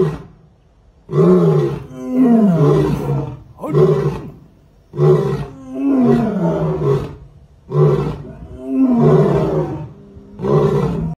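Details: Pair of tigers: a series of loud, deep groaning roars, each lasting one to two seconds with sliding pitch, repeated about every two to three seconds with short silent gaps.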